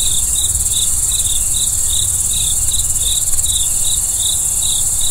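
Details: Night cricket chirps: evenly spaced high-pitched pulses, roughly two to three per second, steady and trilling, layered over a continuous very high insect drone and faint low rumble.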